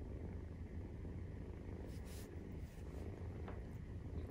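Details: Maine Coon cat purring while nursing, 43 days after the kittens were born. A steady low rumble carries on beneath short, soft rustling bursts around two seconds and a faint click later.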